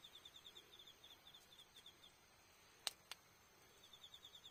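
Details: Autumn insects at night at Iyo-no-kuni campsite on 20 October, beside a campfire: a high, thin chirping in rapid regular pulses, steady then pausing, with two sharp crackles from the fire.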